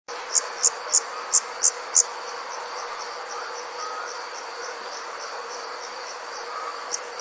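Night insects chirp in a steady high chorus, with six sharp loud chirps near the start.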